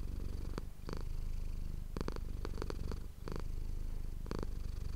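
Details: Close, continuous purring from the domestic cat Manis on an ASMR microphone, a low vibrating drone with scattered quick rustling clicks and a short drop near the three-second mark.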